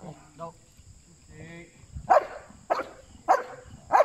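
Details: Belgian Malinois named Asyong during bite work training, shown from puppy to adult; after soft voices at the start, four sharp, loud barks come at roughly even spacing of about two-thirds of a second, with a steady high hum behind.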